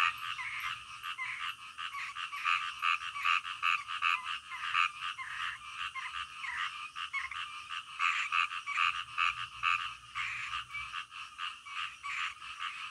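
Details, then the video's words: A night-time frog chorus: rapid, overlapping croaks from several frogs pulse steadily and irregularly throughout, with a soft high-pitched hiss beneath. "SUARA KODOK DITENGAH MALAM"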